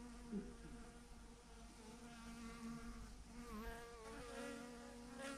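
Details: Swarm of bees, thousands strong, hangs clumped on a branch while many circle nearby. A dense, layered buzzing fills the scene, with a bee's pitch dipping and rising as it sweeps past around three and a half seconds.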